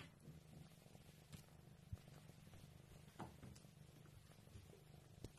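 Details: Purring Maine Coon, its deep, even rumble running throughout with regular throbbing pulses and occasional faint clicks.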